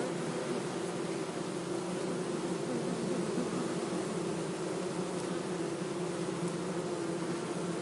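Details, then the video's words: Bees buzzing in a steady, unbroken low drone with layered hum tones, dense and even throughout, with a faint hiss behind it. "bee buzzing sound - zumbido de abelha"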